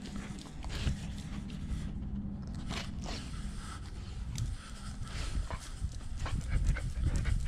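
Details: German Shepherd service dog Nala, home alone and wearing a GoPro, breathes in rapid rough pants over steady low rumbling body noise, with a few sharp clicks and knocks near the camera.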